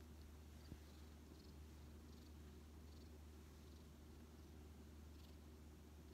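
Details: Rescued odd-eyed white cat Shaorin, found badly weakened in autumn 2018 and brought by a garden stray, lies affectionately on a lap; a quiet, steady low rumbling purr continues throughout, with faint soft ticks above.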